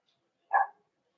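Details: Cavalier King Charles Spaniel at a breeder's puppy pen, where puppies are being socialized with several of the kennel's older dogs on 13 December 2022; one short, sharp bark, otherwise quiet indoors.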